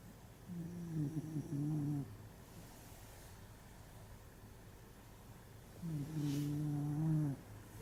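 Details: A tired dog sleeps soundly, unaware of the camera, snoring in a quiet room: two low droning snores, each about one and a half seconds long, with steady tonal bands, separated by several seconds of soft breathing.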